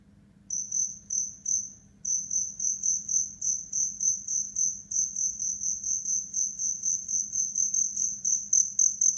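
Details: Black crickets chirping in a fierce fight, sharp high chirps, each one a quick burst of pulses, repeated about four times a second in a steady run after a short opening pause, with a faint low hum underneath.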